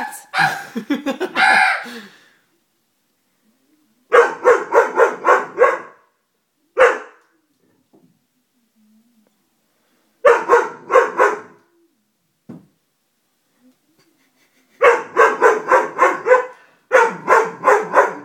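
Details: Dobermann puppy frightened by a stuffed toy, giving fast volleys of five to seven sharp barks separated by silent gaps of a few seconds.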